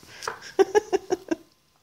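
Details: Penny, a comical and very vocal female puppy, 'talking' indoors at home: a quick run of five short, tonal, whiny yelps in under a second, each cleanly separated, then quiet.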